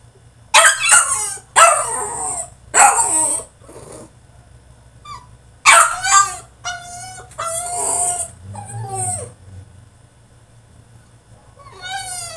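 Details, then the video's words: French Bulldog in his cage throwing a tantrum: a run of harsh barks, then quieter gaps, then wavering harmonic whines and yelps that rise and fall, with one final whine at the end; steady low hum. "FRENCH BULLDOG THROWS TANTRUM IN HIS CAGE!!"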